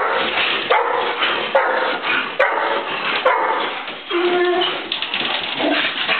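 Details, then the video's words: Four pet dogs, two Golden Retrievers, an Australian Shepherd and a mixed-breed, excitedly greet their owner home after a week; sharp barks roughly every second, whining and a drawn-out whimper amid constant noisy background. "Happy dogs greeting their best friend"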